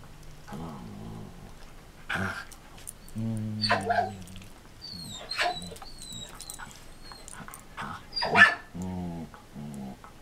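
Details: Samoyed Marco Polo and Border Collie Cisco, a rescue dog, playing in 2014 in their own gentle way, as Marco must not jump much: scattered sharp barks among sustained low growls, plus faint high chirping tones.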